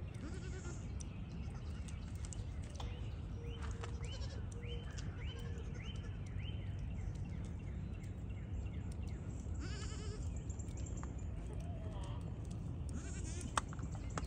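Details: Young pygmy goats (Capra hircus) running, jumping and playing on a farm in Knoxville, Tennessee give a run of high, wavering bleats over a steady low rumble.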